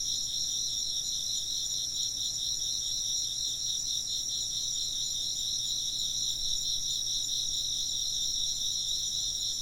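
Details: Dense insect chorus of rapid chirps, about four pulses a second, in a bright trilling band under continuous higher ringing tones, uniform throughout against a faint low hum.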